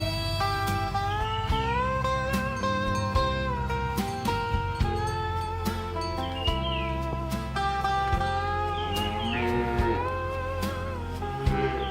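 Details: Country-style music with sliding steel guitar and steady bass plays throughout, with no animal sound heard.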